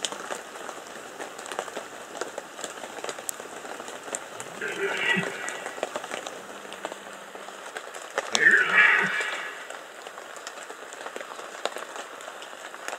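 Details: Red deer in the rut, Bieszczady, 2015: two separate throaty roars about four seconds apart, each a gruff bellow lasting around a second, over a constant crackling, rain-like background.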